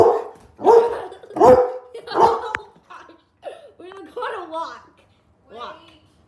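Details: Labrador Retriever barking powerfully: several deep, loud barks in quick succession, then softer whining, yelping calls, with a person talking about going for a walk.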